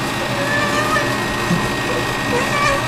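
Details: Sasha, a cat, being given a bath: short, wavering meows rise and dip through steady background noise while a person speaks to her.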